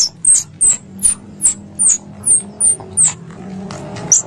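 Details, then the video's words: Squirrel calls used as a hunting lure in Indonesia: high, sharp squeaks repeated about every 0.4 seconds, each dropping slightly in pitch, with faint clicks and a low background hum. "Suara Tupai 3 In One Terbaru Sebagai Penyempurna Suara Pancingan Tupai"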